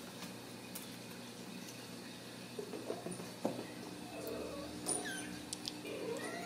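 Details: Ragdoll kittens raised in a home cattery in central Kansas without restrictive cages. Soft, short, high mews come in a few scattered bursts in the second half, with faint rustling and soft clicks in a quiet indoor room.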